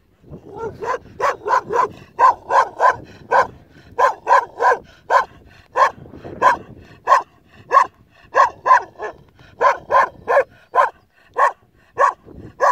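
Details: Kangal puppy guarding a sheep flock on its own, giving a steady run of sharp barks, roughly one or two a second, each short and bright with strong upper overtones, a few slightly longer and more drawn out.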